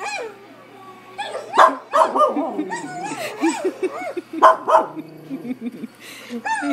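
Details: Samson the pet dog yelps and barks at a dog on a computer screen, rapid high barks in short volleys with people talking over them.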